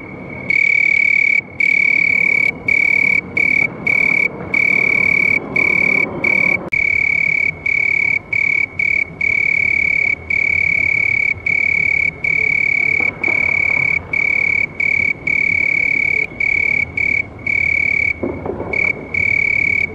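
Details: Continuous shrill house cricket trill on a single clear pitch, broken every second or two by short gaps, with soft low rumbling noise in the background at times.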